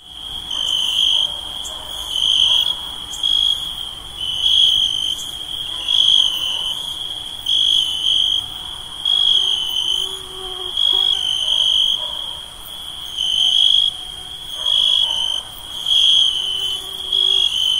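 Night insects trill steadily, with a high continuous tone and pulsing bursts every second or so.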